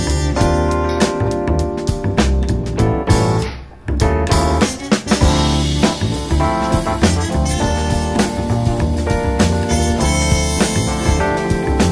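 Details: Upbeat jazz with drum kit, piano and saxophone fills the recording, briefly dropping out near four seconds, with no animal voice.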